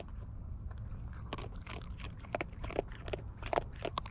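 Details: Wild raccoons chewing close up, with irregular wet crunches and crackles over a low background rumble.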